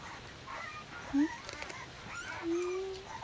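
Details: A female Corgi puppy born 17 January 2015, filmed 9 February 2015 at about three weeks old, gives thin, high whimpers, one brief and one drawn out and slightly rising.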